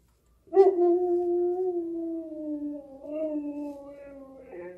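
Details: Siberian Husky howling like a wolf, reportedly set off by whatever has been making the neighborhood dogs howl; one long sustained howl starting strong, then gently sliding lower with a slight rise midway, tapering softer toward the end.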